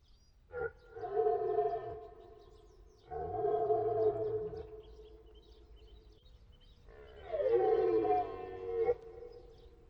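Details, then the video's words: Roaring deer stag giving three long, hoarse, harmonic bellows, each about two seconds, separated by pauses of roughly two to three seconds. "Deer sounds / Deer noises / Deer sound effect / Hirsch geräusche"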